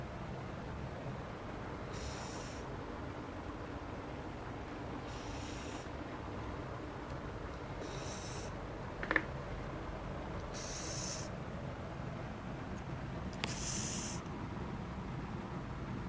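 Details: Fishball, a male Japanese Spitz, snoring while sleeping soundly: soft, airy, hiss-like breaths recur roughly every three seconds over a quiet room background, with one brief click near the middle.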